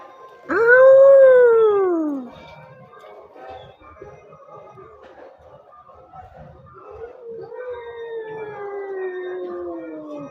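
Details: One of two orange cats squaring off over territory: a single loud yowl that swells and falls away, then a quieter moaning stretch and a second long, slowly descending wail near the end.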